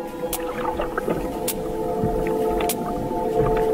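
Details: Sperm whale hunting squid gives sharp, widely spaced echolocation clicks in a very simple regular pattern, made in the head's spermaceti organ, heard on a hydrophone over a steady musical hum; the whale may be up to 60 km away.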